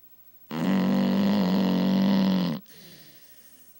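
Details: Pet dog Macy snoring loudly while napping in the morning: one long, steady, droning snore of about two seconds with a low buzzing tone, followed by a faint breathy exhale.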